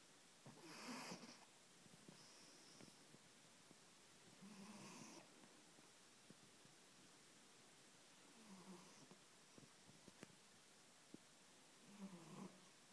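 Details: Sleeping domestic cat snoring noisily: soft, breathy, rasping snores about every four seconds, four in all, with quiet room background between breaths.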